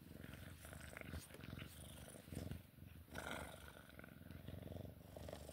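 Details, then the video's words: Sphynx cat purring during play time: a low, steady, finely pulsed rumble running throughout, with soft rustling and handling noises on top. "Sphynx cat play time purring"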